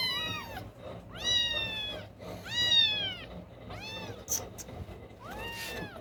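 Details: High, harmonic mews from newborn kittens whose eyes are still closed, one of three hunting for its mother's milk at night; five arching cries in quick succession, roughly one per second, with a few brief clicks between.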